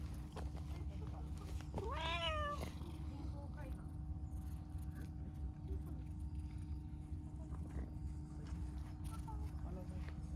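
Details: Talkative, affectionate dilute calico cat, apparently a stray, gives a single drawn-out rising-then-falling meow around two seconds in, with a rich harmonic stack, then quiet over a steady low hum and traffic rumble.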